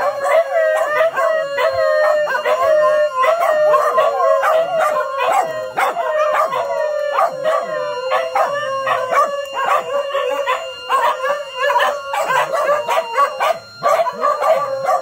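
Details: Dogs woken early in the morning by a siren alarm, including little female SoRA, howl in chorus; long steady tones with warbling breaks and short yips layered over one another without pause.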